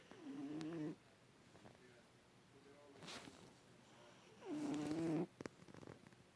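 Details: Newly adopted house cat asleep on a lap, snoring loudly amid body convulsions; two short, low, humming snores about four seconds apart, separated by faint rustles and a brief click.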